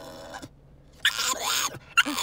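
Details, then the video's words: A dog 'beatboxing', an impatient pet vocalizing before a walk: short bursts of grunting, throaty noises with a rising tonal whine and a brief high squeak near the end, with French speech around it. "Rare Sighting of A Dog Beatboxing"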